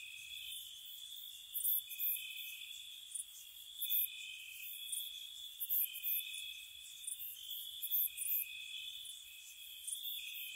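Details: Spring night chorus of crickets near a cottage, a continuous shrill trill overlaid by sharp chirp bursts roughly every two seconds.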